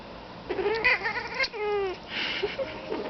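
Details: Domestic cat named Feliciano indoors, trying to talk to crows outside: a run of harmonic, wavering meows and chirps, a short rising trill, then a longer descending meow and softer chirping calls at the end.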